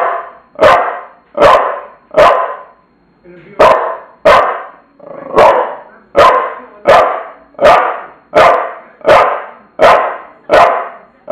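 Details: Bulldog Tula gives a long series of about fourteen rough, punchy barks, evenly paced near one per second, with a brief pause early on before the barking resumes.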